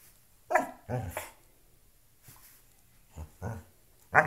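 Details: Loki, a pet dog, playing with a shoe: short gruff barks and growly huffs in quick clusters, a pause, then more barks and a final sharp yap.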